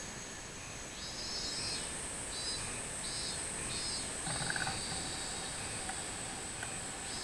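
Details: Robust cicada recorded on 24 July 2016. Short high buzzy phrases repeat for a few seconds, then merge into one long steady buzz. A soft low rumble of background noise runs underneath.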